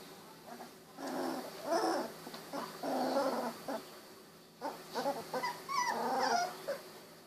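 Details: Sixteen-day-old Golden Retriever puppies wiggling and snuggling: a busy run of overlapping low whimpers, grumbling growls and short yips, several animals vocalizing almost continuously against a faint background hiss.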